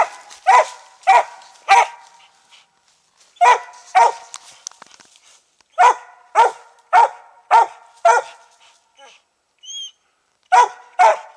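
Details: Treeing Mountain View Cur, a roughly three-year-old hunting dog, barking while treeing squirrels during a squirrel hunt in South Carolina; loud, sharp barks in uneven bursts, about a dozen over eleven seconds, with brief pauses and a faint whistle-like tone.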